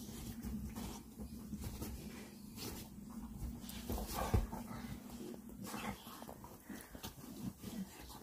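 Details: American Bully dogs play-fighting on a bed indoors, giving low, steady rumbling growls that run through the whole stretch, with scuffling and bedding noises and a louder burst of growling near the middle.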